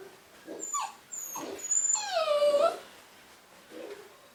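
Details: A new litter of Cavapoo puppies; one pup lets out a drawn-out, wavering whine that slides downward, preceded by brief squeaky yelps.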